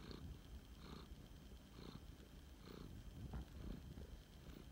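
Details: Flame point Siamese cat named Phoenix (Nixxy), a rescued male, purring while snuggling indoors; a steady low rumbling purr with soft rhythmic swells about once a second, tied to each breath cycle.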